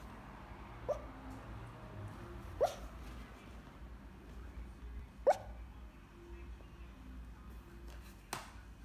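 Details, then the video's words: A Pekingese asleep and dreaming lets out four soft, clipped yips, dream barks spaced a few seconds apart, in a quiet room. "Chicca the Pekingese barking in dream"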